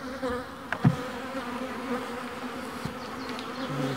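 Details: Honeybee colony during splitting by a beekeeper, a continuous low droning hum with a higher overtone, broken by a few sharp knocks and thumps from handling of the hive.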